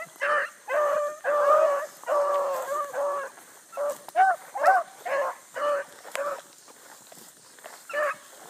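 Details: Early-morning chase, July 2012: a pack of Bluetick Coonhounds with a young pup trailing a big circling rabbit. Rapid, ringing bawls and chops from several hounds, bursts running together then thinning out toward the end.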